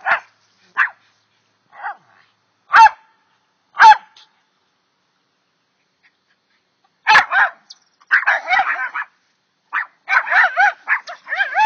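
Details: Two dogs barking at a chipmunk, recorded on a phone: sharp single barks spaced a second or so apart, a pause, then a rapid run of higher, excited yapping barks.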